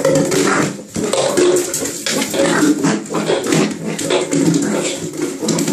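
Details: Pembroke Welsh corgi in a bath tub indoors, giving noisy, grumbling vocal sounds with short tonal whines, nearly continuous with brief pauses, over splashing water and room echo; a person speaks faintly.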